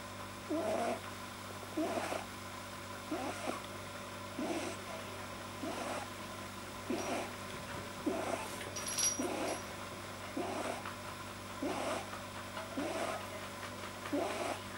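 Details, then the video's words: Pet rabbit, deeply relaxed, making unusual noises that a vet attributed to a probably too-long soft palate; raspy, breathy snorting bursts repeat roughly every 1.3 seconds at a steady rhythm, with a faint high squeak near the middle. "funny bunny noise - Kaninchen lustige Geräusche"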